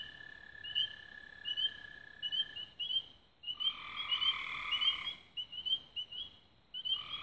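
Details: Frogs calling at dusk near Raven Rocks, Belmont County, Ohio, on 24 May 2016: a long steady trill underlies bursts of high chirps, then a loud layered trilling swell for about two seconds.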